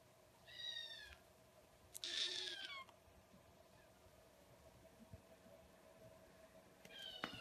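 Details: Kittens meowing: three short harmonic mews spread over several seconds, one with a bright squeaky burst, separated by quiet stretches of faint indoor background noise.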